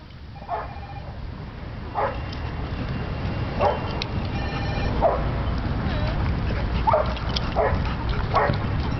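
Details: A dog playing with a new friend at a dog park: short sharp barks and yips about every one to one and a half seconds, with steady background noise.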